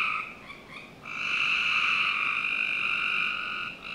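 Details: Summer-night frog chorus in a Northern Virginia home's backyard; a short buzzy trill gives way to one long continuous rasping trill lasting over two seconds, then a brief dip before the next begins.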